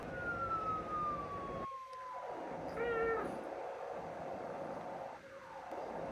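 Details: A pet cat indoors gives one short, tonal meow in the middle. A faint, steadily falling whistle-like tone runs underneath, and the room is otherwise quiet.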